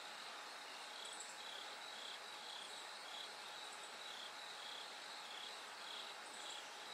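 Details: Night chorus of bell crickets before dawn, the sky slowly brightening. Short high ringing pulses repeat about twice a second over a continuous insect hum, with occasional sharper chirps from other insects.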